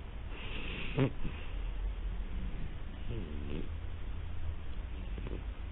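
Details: Siamese cat indoors giving a short wavering meow, then a second bent, rising-falling meow a couple of seconds later, over a low room hum with faint background talk.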